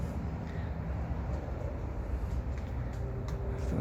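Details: Only a low, steady rumbling noise like distant traffic is heard, with no animal calls.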